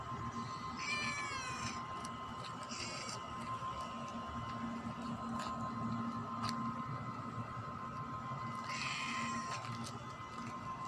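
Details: Pet cat meowing: a few short, harmonic-rich meows that bend downward, near the start, around three seconds and again near nine seconds, over a steady low electrical hum.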